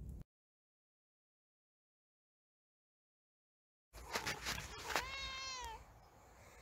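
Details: Kittens: following a long silence, a burst of clicks and scuffling leads into a clear meow that slides downward and fades, with background rustle.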